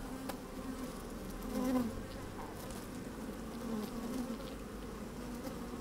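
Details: Honey bees busy in an opened hive, recorded from within on a sunny day: an even, low buzzing hum that rises briefly near the second mark, with light ticks and rustling as bees move about.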